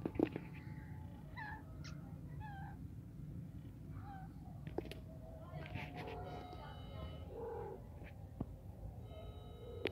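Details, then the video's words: Kittens mewing in short, scattered bursts of thin, rising and falling cries spread across ten seconds, some overlapping, over a steady low rumble with occasional knocks. "So cute cat babies"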